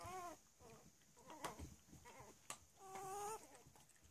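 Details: Cavalier King Charles Spaniel puppies, three weeks old, playing together: a series of brief squealing whimpers, some wavering, broken by sharp clicks and scuffling noises.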